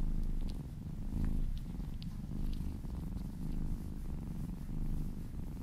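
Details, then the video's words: Happy domestic kitten purring during a massage; thick low purr with rhythmic swells, plus a few faint high ticks and licking sounds. "Purring kittens"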